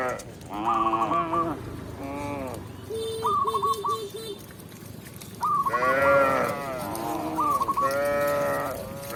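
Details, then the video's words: Tame village cow led back to its pen by a shepherd, giving drawn-out harmonic moos of about a second each, two louder calls near the end, with repeated short chirping bird notes and faint rustling behind. "Cow Sound, Funny Cow, Cow Moo"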